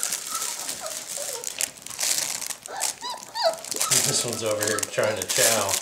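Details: Puppies in a small room letting out thin, high squeals that rise and fall, a few sliding sharply upward, mixed with crinkling paper and a voice talking.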